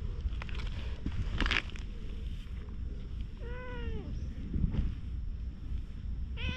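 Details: A stray cat rolls about on the ground, appealing for something, recorded with a GoPro: one clear, drawn-out meow that bends downward, a brief second mew starting at the end, amid low outdoor rumble and scattered rustles.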